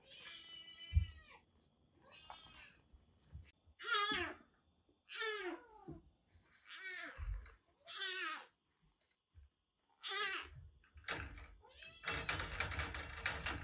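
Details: Kitten rescued soaked during record heavy rain in western Japan, suffering a cat cold that blocked its eyes and nose, now indoors at a Kagoshima kitten nursery; about nine clear, arched, harmonic meows, roughly one per second, ending in broadband rustling.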